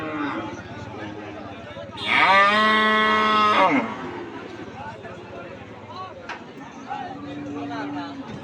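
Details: Cattle at a cattle market: one loud, drawn-out moo of nearly two seconds, a steady rich tone with a slight rise at its start, over a background of market noise and distant voices. A faint, lower call follows near the end.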